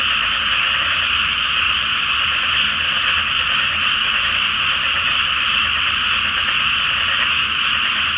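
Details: Nighttime frog chorus from a rice paddy flooded before planting under a full moon: countless overlapping croaks merge into an unbroken bright drone, with a soft low rumble underneath.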